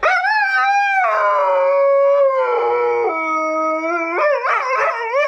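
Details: Catahoula Leopard Dog howling indoors while watching herself on a laptop; a loud, drawn-out tonal howl rich in overtones that slides slowly downward in steps, then breaks into wavering, rising yodel-like notes at the end.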